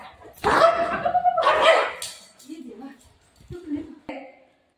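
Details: Pet golden retriever acting up to pester mummy at home, giving a drawn-out, whining bark-like cry over a second long, then a few short yips, while a woman talks and calls the dog over in Marathi.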